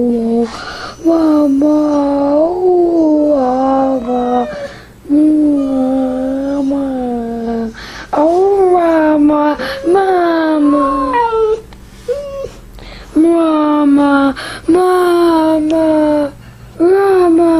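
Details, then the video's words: Samoan husky dog calling because it wants its mom, indoors in a small room; a run of wavering, yodel-like howls and whines broken by short pauses, sliding up and down in pitch, with brief quiet gaps between phrases. "samoan husky dog wants mom"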